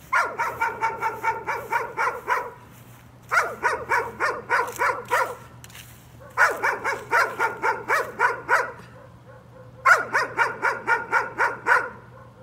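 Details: Nuisance barking from a dog: four separate runs of quick, regular barks, each run about two seconds long and split by short quiet gaps, over a faint constant low hum.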